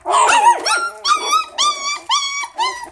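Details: Miniature Schnauzer, poodle and Chihuahua mix puppies indoors giving a run of high, harmonic whining yelps, each rising then flattening, about five in three seconds, with a denser cluster of overlapping cries at the start.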